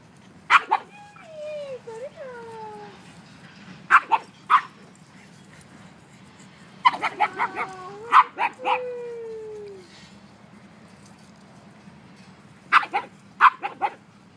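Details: Playing dogs, a one-year-old mastiff and two pugs, give bursts of sharp barks in short clusters mixed with long, drawn-out, falling whines and whimpers, separated by quiet pauses.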